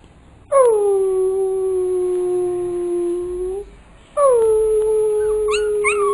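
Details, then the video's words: Pit bull puppy being trained to "talk": two drawn-out howls, the first steady and falling slightly for about three seconds, the second after a short pause, ending with a few short rising yelps. "pitbull puppy talking"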